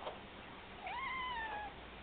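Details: A male pet cat meows back as if answering while his owner talks to him; one drawn-out, steady meow about a second long that sags slightly in pitch at the end, with a soft background hiss.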